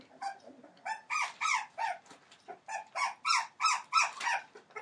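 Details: Entlebucher Mountain Dog litter at 21 days old, born 28 December 2013: rhythmic, nasal puppy squeals, about three per second, rising and falling slightly, over a faint low background murmur.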